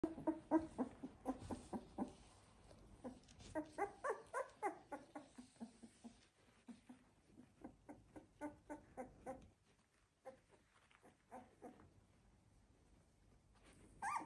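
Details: Labrador Retriever puppies, 16 days old, from a Z2 litter, heard indoors: a rapid run of soft, short whimpering and grunting squeaks, several voices overlapping, fading quieter toward the end.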